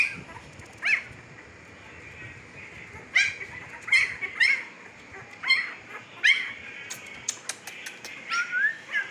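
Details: Fifteen-day-old Siberian Husky puppies in Pakistan, eyes newly opened, give scattered high, thin whimpers and squeaks, some bending upward, in short bursts separated by quiet gaps across the recording.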